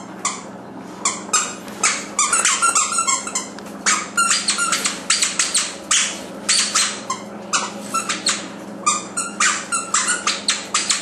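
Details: Chloe, a female puppy almost seven months old, in a small room: a rapid run of short, sharp, bright bursts, several per second, in uneven clusters, over a steady low hum.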